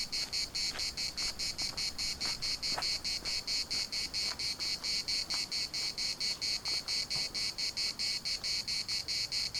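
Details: Municipal park in Larnaca alive with cicada song: sharp, high, pulsing buzz repeated rapidly and evenly throughout, with several faint short chirps and clicks beneath the chorus.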